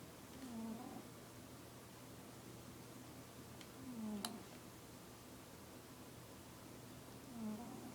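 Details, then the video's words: Sleeping fluffy male house cat snoring, three low, raspy breaths spaced roughly every three and a half seconds, soft against a constant low hum in a small quiet room, with one brief click midway. "Cute cat snoring"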